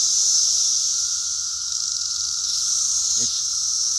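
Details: Swarming cicadas, described as being all over the place like a plague: a dense, unbroken high-pitched buzzing drone holds steady throughout, with a brief human voice near the end.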